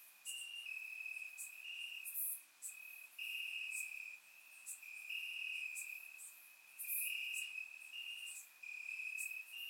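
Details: Crickets in grass at night during a warm Bulgarian summer: high, buzzy trills broken into bursts lasting about a second, with brief gaps and scattered sharp clicks; otherwise quiet.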